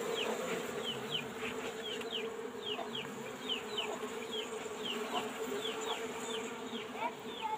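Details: Colony of Asian honey bees in an old-fashioned box hive during a honey harvest, smoked to calm them: continuous low buzzing drone with a stream of quick, high, downward-sliding chirps.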